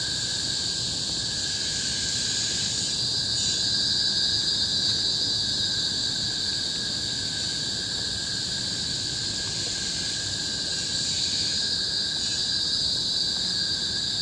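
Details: Loud cicada chorus recorded in 2017 in tropical forest on Bukit Timah Hill, Singapore: an unbroken high shrill drone that pulses gently in intensity, over a steady lower monotone running the whole way through.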